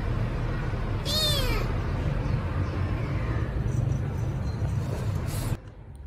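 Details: Rescued kitten Milo, hungry and calling loudly for food, gives one clear falling meow at about one second followed by a fainter one, against constant low-pitched mechanical hum that drops away near the end.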